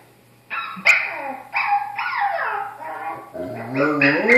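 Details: An Estrela Mountain Dog howling at a puppy on TV gives short, sliding, whining howls that rise and fall in pitch.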